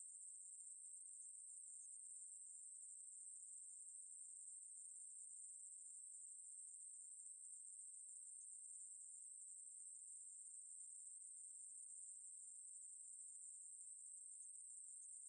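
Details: Ruspolia katydid song, National Institute of Biological Resources, 2020: one long sustained shrill buzz, very high and steady, holding at the same pitch and loudness for the whole stretch, alone in silence.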